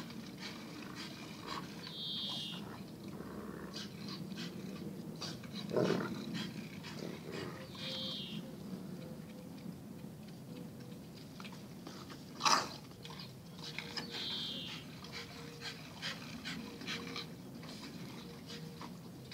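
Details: Zion and Tyson, two dogs, in their daily fierce fight: a steady low rumbling growl runs throughout, broken by scattered scuffling noises and a sharp loud burst near twelve seconds.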